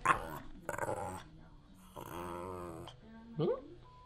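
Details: Hungry pet dog asking for food makes drawn-out, wavering, voice-like growls in several bursts between a person's questions about what it wants to eat, indoors.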